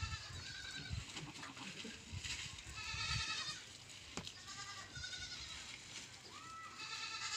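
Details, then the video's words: Goat bleating on a farm: several short, nasal, wavering bleats at intervals across the stretch, some overlapping, over a steady background of low rumbling farm noise. "BAKRI ki awaaz"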